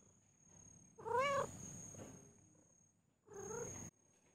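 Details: Cat giving two meows, the first a wavering drawn-out cry about half a second long, the second shorter and flatter after a two-second pause, with a steady high electronic whine behind.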